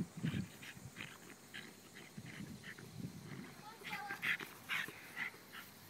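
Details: Dexter, a roughly ten-year-old Jack Russell Terrier, playing soccer. Soft, scattered vocal bursts give way to a few high, thin whimpering yelps near the end, while people talk through much of the recording.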